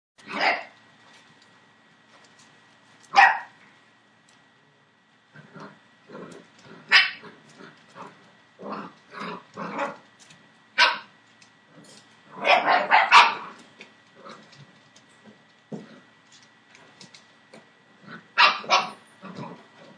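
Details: Seven-week-old Entlebucher Mountain Dog puppies from the litter of Shadow and Falk vom Kornried, born 28 December 2013, letting out short, sharp barks and yips at irregular intervals, with a louder cluster of barking about two-thirds through and a faint steady tone behind.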